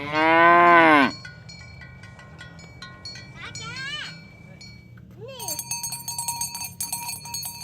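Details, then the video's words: Tame cattle driven toward the pen in the morning on village roads: one loud full moo, two brief higher bleating moos later, and cowbells jingling throughout, growing busier at the end. "Asmr Sapi Moo | Suara Moo"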